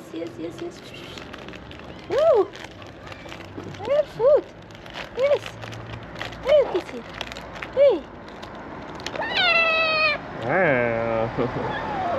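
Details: Starving abandoned street kitten at morning feeding, meowing in short rising-falling cries about once a second, followed by a longer, higher wavering meow; a person calls to it softly and offers food.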